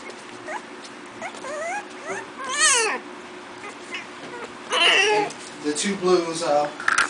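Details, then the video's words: Four-week-old Miniature Pinscher puppies from a new litter playing indoors: a series of high, wavering whimpers and squeaky yips that rise and fall, some in quick repeated bursts, with a person talking in the background. "MIN PIN MINIATURE PINSCHERS PUPPIES PLAYING"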